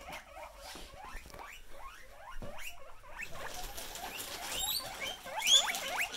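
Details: Pet guinea pigs growing excited as they hear a plastic bag, a steady series of short rising squeaks building into louder, higher wheeks toward the end, with bag rustling underneath.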